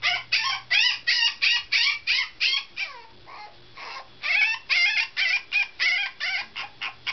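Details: Komugi, a teacup poodle puppy nine days in her new home, protesting to be let out: a fast run of short, high, bent yelping whines about three per second, a pause near the middle, then the rapid series resumes.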